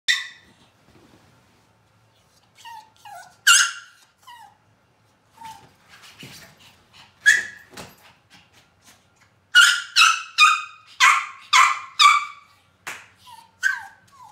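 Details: Yorkshire Terrier in heat giving high, thin whimpers and yelping whines: a few scattered cries early on, then a run of six or seven sharp, rising-falling whines close together near the end, against a quiet background.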